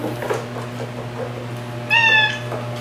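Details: Margaret, a white rescue cat with orange markings on head and tail, gives a single short meow near the end, preceded by quiet rustling, with a constant low hum in the room.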